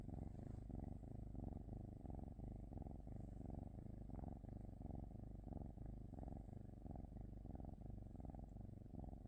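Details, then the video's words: A cat purrs steadily at close range, a deep vibrating rumble rising and falling in regular breathing cycles about twice each second throughout. "cat 🐈‍⬛️ purring"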